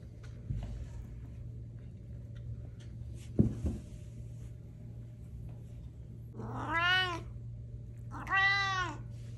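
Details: Pet cat indoors giving two clear meows late on, each a harmonic-rich wail that rises then falls, about a second and a half apart, after a few soft knocks and a steady low hum.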